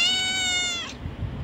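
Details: Domestic cat, one of many kept in a house, meowing while the owner talks about the cats wanting food: a single loud, steady, tonal meow held for almost a second that then drops and fades, followed by low rumbling household noise.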